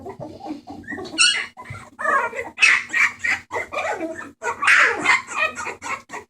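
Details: Rescue Bulldog puppies, recorded 28 March 2014, give a rapid string of high whines, squeaks and yelps, with a faint steady hum behind.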